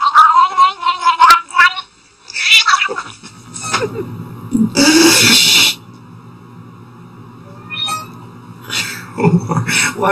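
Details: Domestic cat making odd vocal noises: short wavering meows and chirps, then harsh noisy bursts and lower growling sounds, uneven in rhythm, mixed with clatter.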